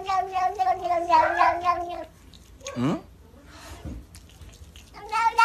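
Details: Kittens meowing: a long, wavering meow lasting about two seconds, a brief falling cry near the third second, then another meow rising at the end, with quiet room noise in between.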